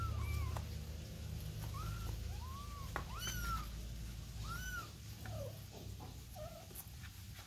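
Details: Domestic kitten with its mother cat giving a run of about eight mews, mostly arched and falling, a few short dipping squeaks at the end, over a constant low hum and faint rustling.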